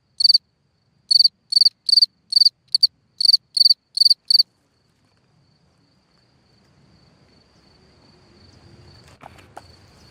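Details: Cricket singing at night from a hole in the ground: a series of about eleven short, shrill pulsed chirps over four seconds, irregularly spaced, then quiet with faint rustling and a thin steady tone.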